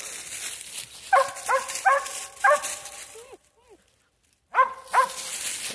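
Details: Mountain Cur mother with her pups during training to tree, in woodland. Loud, ringing barks repeated quickly, a few whining squeaks, a brief silence, then more barking, with a man's voice nearby.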